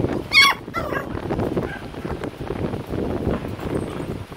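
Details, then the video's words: Young Corgi puppies playing in pool water give a loud, piercing yelp followed quickly by a softer second cry, then continuous splashing and sloshing water fill the rest. "Corgi puppies & pool"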